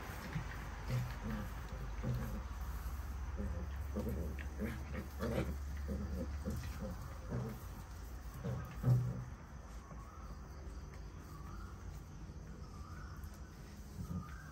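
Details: Puppies at play, giving low rough growls and grunting snarls in short irregular bursts through the first nine seconds, then fading to sparse quieter grumbles over a steady low hum.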